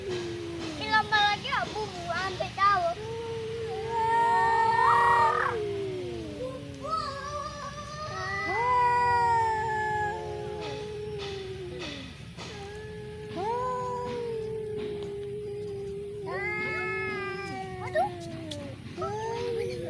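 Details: Fighting cats produce repeated drawn-out howls that rise and droop, some breaking into higher wails, with scattered clicks and brief noise bursts between the caterwauls.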